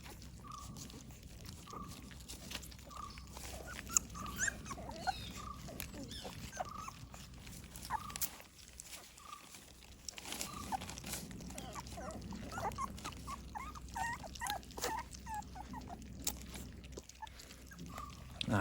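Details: Morning feeding of American Pit Bull Terrier puppies: short, thin whimpers repeat roughly every second for ten seconds, then resume among clatter and eating noises, with occasional human speech.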